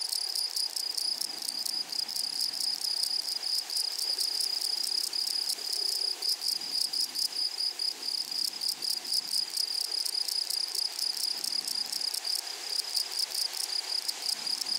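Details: A prairie meadow holds a dense grasshopper chorus: a constant shrill high tone layered with rapid scratchy pulses repeating several times a second, steady in loudness for the whole stretch.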